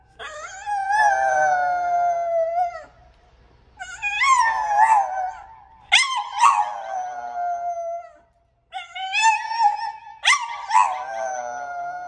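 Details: French Bulldog named Haru singing into her own new microphone for the first time, giving long sustained howls in three bouts, each rising then holding steady with wavering breaks, separated by short pauses.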